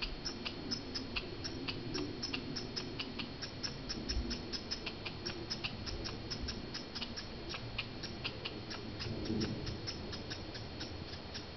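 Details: Fighting squirrels in Banff, Canada, met on a walk: a steady run of sharp dry clicks, roughly three or four each second, over a low rumbling background.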